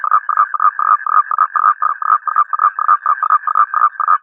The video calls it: Toads - Sound Effect In High Quality - 2 Minutes